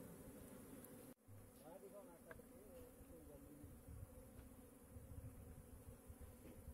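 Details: Honey bees kept in beekeeping boxes: a steady low droning hum with layered tones, briefly cut off near the one-second mark, with faint traces of human voices in the background.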